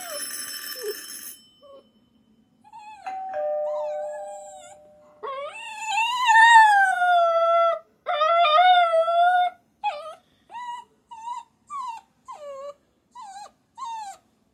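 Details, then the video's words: Puppy whining: after a bright tone and a steady held note early on, a long wavering high whine rises and falls, then short downward-bending whimpers repeat about once a second until the end. "my puppy funny sound"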